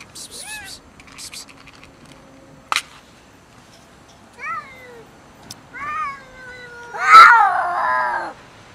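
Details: Angry cats fighting and arguing over food give short descending meows, then a loud harsh yowl that swells into a drawn-out wavering growl near the end; a soft hiss and a few clicks come earlier.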